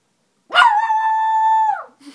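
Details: A Silky Terrier gives a single steady howl lasting over a second, starting with a harsh onset, then holding a level, clear harmonic tone before dropping away at the end, followed by a faint brief noise.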